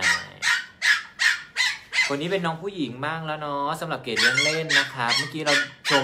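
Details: Purebred Pomeranian puppies from a Thai breeding farm of champion lineage, ready for new homes, give a quick run of short, sharp yaps about three per second for two seconds before a person's talking takes over.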